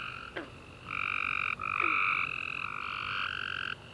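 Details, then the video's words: Tree frogs chirping at night after a warm rainy summer day, overlapping sustained trilled notes in two steady bands, several callers calling over one another with brief gaps and a couple of short downward sweeps. "Tree Frog Chorus After A Warm Rainy Day - 10 Hours Tree Frogs Chirping You To Sleep"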